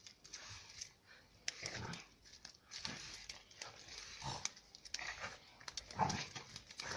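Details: Central Asian shepherd (alabai) puppies, two equally pushy females named Giranda and Gardarika from Tajik flock-dog parents, scrap with each other. Short throaty growls break out every second or so amid scuffling and a human voice.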